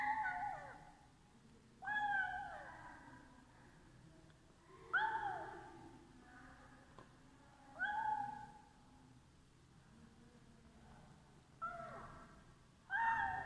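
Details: Cat meowing as it eats, giving six short falling meows at irregular gaps of two to four seconds, each clear against a quiet indoor background.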